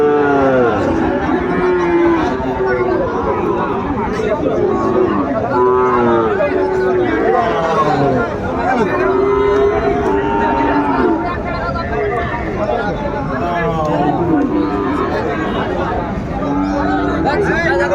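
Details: At a cattle market visited by Dhaka farmers on 14 February 2025, Sahiwal breed bulls give repeated uneven lowing calls, some overlapping, amid steady human chatter and market bustle.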